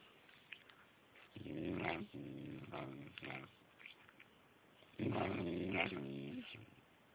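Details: Silken Windsprite dog, trained over several months to 'tell stories', talking in two drawn-out bursts of low, moaning, growl-like vocalizing with rich harmonics, each lasting one to two seconds and separated by a quiet pause.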